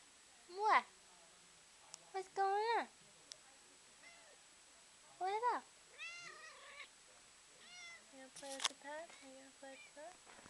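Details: Pet cat playing with a pen indoors; several short rising-then-falling meows scattered through, mixed with a person's voice talking to it and a few soft taps.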